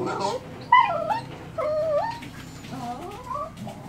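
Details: Jack Russell Terrier Jessy and two working terrier pups playing and play-fighting; high whiny yelps and whimpers bend up and down in quick strings, several within four seconds, over a low steady hum.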